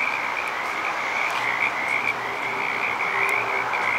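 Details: Many frogs calling together at Petaluma, their overlapping pulsed trills forming a constant high-pitched drone with faint low hum beneath.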